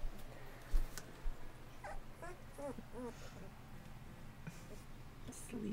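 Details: Bullmastiff puppies, 2.5 weeks old and sired by an AKC Champion, eyes newly open and working hard at trying to walk, give a quick run of five or six short, thin, squeaky whimpers, then a higher drawn-out whine, with soft thumps and a quiet room behind.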